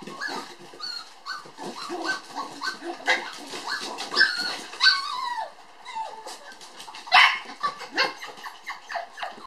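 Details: Toy Poodle sisters born on 9 July, puppies at a breeder, play energetically with a rapid, busy stream of high yips, squeaky whines and short barks, one louder yelp near the end.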